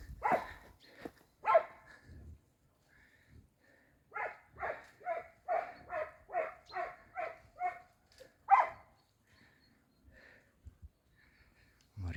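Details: Bosnian Coarse-haired Hound and Serbian Hound pack at Vranje Han chases wild boar in training, the dog Balkanac leading, the hounds tired in the heat; a steady run of about ten evenly spaced, open bays, scattered single yelps before and after, otherwise quiet.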